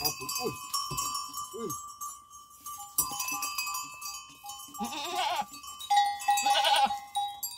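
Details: Goats at relaxation time, with wavering, quavering bleats near the middle and end, tonal bell-like ringing throughout, and human voices in the background.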